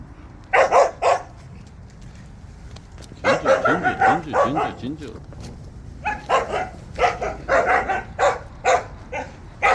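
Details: Several Jindo dogs on a walk bark in clusters of sharp yaps, while a person's voice talks in the pause between the barking runs.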